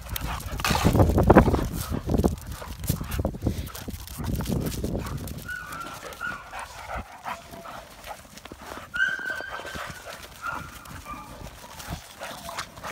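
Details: Play fight between Havoc, a dominant American Bully stud, and two young kennel puppies he hardly knows: rough low growling and scuffling for about five seconds, then thin high whines and short yelps.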